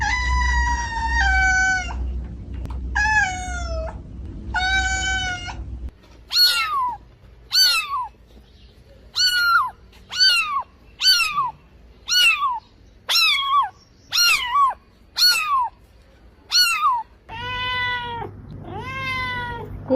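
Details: Cats meowing: three long level meows at first, then a quick series of about a dozen short, sharply falling mews roughly once a second, ending with two longer arched meows.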